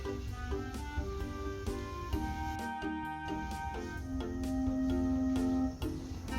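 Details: Indoor background music of sustained melodic notes and plucked tones, with no animal voice.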